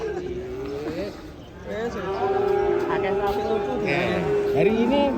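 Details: Cattle during unloading from a truck produce a sustained, steady low moo with a few bending, wavering tones, overlapping with men talking in the background.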